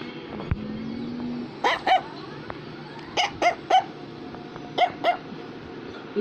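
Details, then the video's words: Barking Affenpinscher toy dog: short, bright yaps delivered in quick pairs, roughly three couplets across six seconds, over a constant indoor hum with a brief voice early on. "Affenpinscher is Barking"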